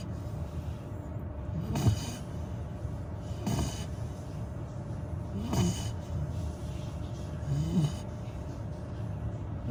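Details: Labrador retriever puppy Gong-ju, a little over 100 days old, asleep and snoring; steady low droning breath punctuated by short snorting rasps roughly every two seconds.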